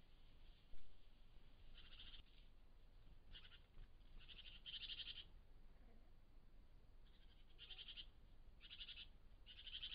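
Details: A European wildcat, recorded by camera trap, gives a series of short, harsh, high calls against a low background hum.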